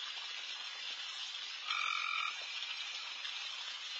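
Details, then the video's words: Late-night backyard frog chorus with many callers at once: a constant shimmering high din, and one clear tonal trill of about half a second cutting through. "with Frogs in surround sound"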